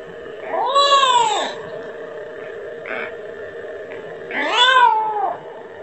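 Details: Kitten calling repeatedly for its mother and asking for milk: two drawn-out, rising-then-falling meows with rich harmonics, about three and a half seconds apart, a faint brief sound between them and a steady low hum throughout.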